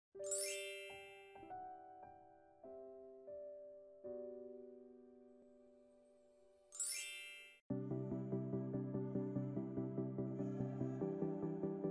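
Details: Bright chiming keyboard notes ring out and fade, broken by two shimmering jingles, then a denser, evenly pulsed tune takes over. No animal voice is heard.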